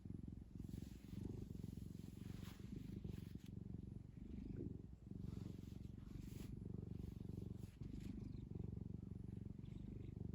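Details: Domestic cat kneading a fluffy blanket it loves, purring throughout; a low, even rattling purr with barely any pauses and occasional soft fabric rustling.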